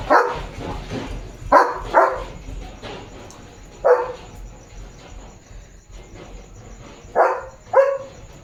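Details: Guarding his area on a farm in the evening, a German Shepherd gives six gruff barks in uneven bursts, some in quick pairs, with quiet gaps between and a faint steady high hum behind.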